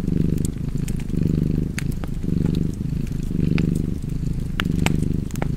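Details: Cat purring beside a fireplace: a steady low rumble swelling and easing in cycles roughly once a second, with sharp crackling pops from the fire scattered throughout.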